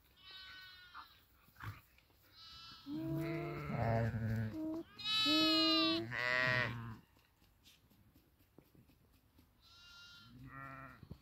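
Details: Grazing sheep bleating: several harmonic, wavering bleats, some long and loud, others short and thin, spaced irregularly over the passage, with quiet stretches between them and people speaking Italian nearby.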